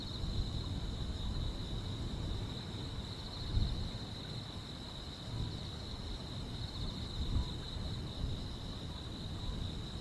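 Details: Summer-night grass insects keep up an unbroken high-pitched trill, slightly wavering in strength, while a deep steady rumble fills the background.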